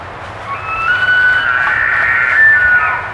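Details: A wild elk bugles during the October rut at Cataloochee Cove in the Smoky Mountains, a long, high, whistled note held steady before sliding down at the end.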